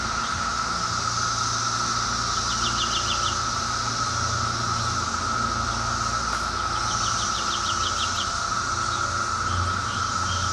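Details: Close-range chorus of Brood X periodical cicadas from 2004: an even, sustained buzzing hum without pauses. Two bursts of fast, descending bird trills rise above it, with faint low rumbling underneath.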